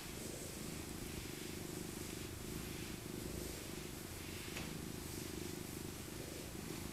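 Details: Continuous low, buzzing purr from Maca, an elderly female tabby born in 2000, during a cuddle; the rumble holds steady for the whole stretch, accompanied by gentle rustling as hands move through her winter fur.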